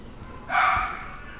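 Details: A single Chihuahua bark, a short, bright yap rising out of quiet low background noise.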